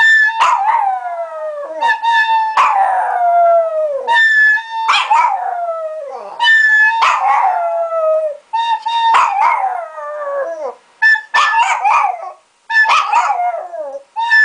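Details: Three-year-old male Chihuahua "singing": a series of drawn-out, tonal howls, each starting high and sliding downward into a long wavering note, with short yips between them. The phrases repeat every one to two seconds with brief pauses.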